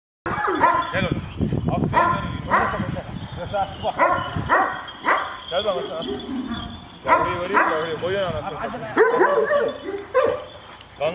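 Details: Giant Kangal dogs, described as aggressive, barking at each other: deep, arched barks come in irregular bursts through the whole stretch, mixed with men talking loudly in Turkish close by.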